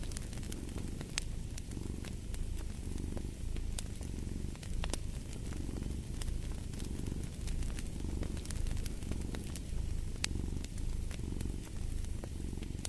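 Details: Deep rumbling cat purr rising and falling in slow rhythmic surges, partly blended with steady hiss and frequent sharp crackles of a burning fireplace.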